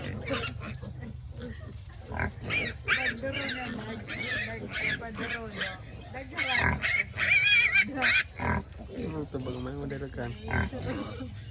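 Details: Native black pigs on a free-range farm in Albay give a busy run of harsh, broadband grunts and short squeals, with a shrill, wavering squeal near the middle, while people talk over and between the animal noises.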